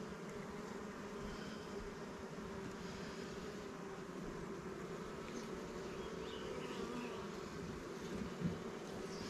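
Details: A colony of honey bees from a recent swarm capture hums in a steady, even drone while hive frames are inspected in the apiary; the buzz holds constant with a brief soft knock near the end.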